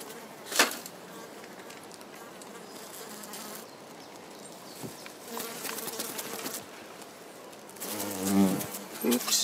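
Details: European hornet (Vespa crabro) in a greenhouse in a potato garden at Midhurst; mostly quiet with scattered clicks and knocks, then a brief low humming wing buzz with rich overtones near the end, swelling and fading.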